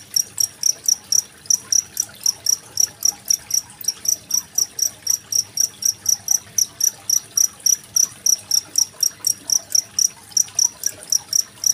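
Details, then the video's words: Cricket recorded with trickling water as a master track for training competition songbirds such as magpie robins; sharp high metallic chirps repeat about four times per second, steady and even, over a soft background hiss. "Suara masteran jangkrik dan gemericik air"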